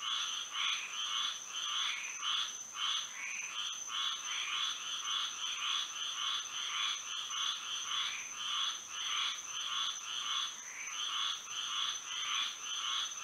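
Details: Frogs calling at night under moonlight in Florida: a dense chorus of overlapping nasal, pulsed croaks, roughly two per second, with bands low and high, over a steady thin high-pitched insect-like whine.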